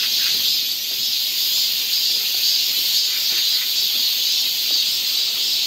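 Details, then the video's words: Cicadas on a forest trail near Seoul, Korea, in summer: a dense, steady high-pitched hiss that hangs unbroken through the whole stretch, with faint wavering in the chorus. "cicada sound"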